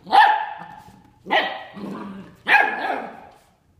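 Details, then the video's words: Bernese Mountain Dog puppy, nine weeks old, trying to get a ten-year-old dog to play at 7 AM: three loud, hoarse, high-pitched barks about one second apart, each trailing off in a rough drawn-out tail. "Bernese Mtn Dog Puppy Says Good Morning"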